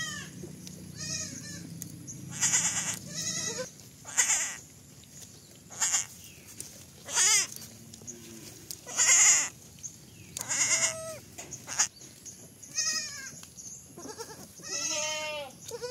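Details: Baby goat bleating again and again, about fourteen short quavering cries with a wobbling, vibrato-like pitch, spaced a second or so apart over a constant high hiss and low background rumble.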